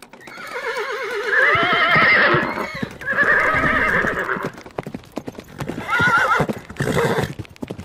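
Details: Horse neighing: a long shrill whinny with a fast quavering wobble, falling toward its end, repeated twice more. Clopping hooves sound underneath and between the calls.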